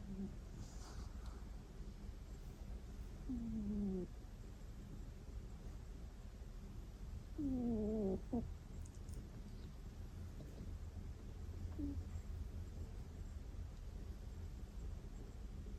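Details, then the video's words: Sleeping house cat snoring with a soft nasal 'kuu' sound indoors. Two clear squeaky, downward-sliding tones with faint overtones come close together, then a fainter short one, over a low steady room hum. "クゥ〜…クゥ〜…といびきをかくウチのニャンコ（my snoring cat）"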